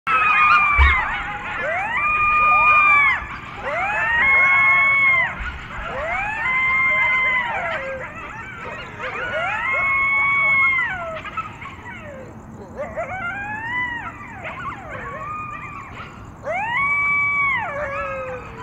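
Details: A coyote, one of a pack of seven that approached the person filming, howls in drawn-out, siren-like notes about two seconds long that rise, hold and fall, some breaking and quavering at the end, over low hiss.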